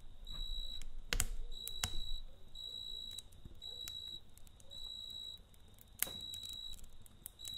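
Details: At night near a campfire, a cricket gives rapid, evenly spaced high trills in short bursts, while loud wood pops and a soft fire rumble sound underneath.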